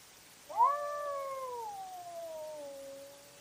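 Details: A cat at night during a fight, filmed by trail camera, letting out a single sudden yowl that starts loud and then slowly sinks into a long fading moan.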